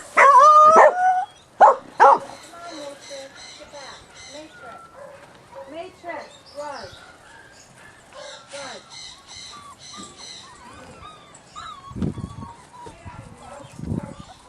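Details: Puppies from a Mirage and Sooner litter: two loud sharp yelps open, then a run of short squeaky whines rising and falling, repeated quickly, with a person talking to them in between.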